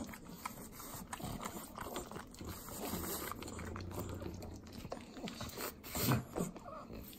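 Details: Three pug dogs eating butter in Southern California's Inland Empire: wet, sloppy licking and smacking with low snorting breaths, steady and close, a brief louder burst near the end.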